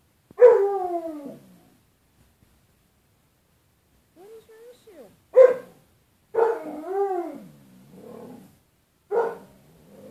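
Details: Bruce Wayne, a house dog barking at his reflection in a glass closet door, lets out a harsh bark, a soft whine, then more barks and a drawn-out moaning howl that bends up and down.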